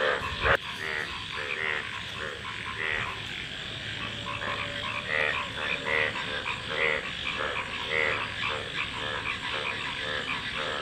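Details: Frogs croaking in a loose, overlapping chorus of short buzzy notes, one sharp knock early on and a low steady hum beneath the calls.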